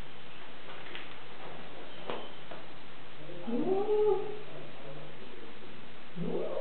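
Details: Female cat Bujil, first to reach her new home and not very happy, utters a moaning "woo" that climbs and wavers for about a second, with a shorter second moan at the end and indoor hum beneath.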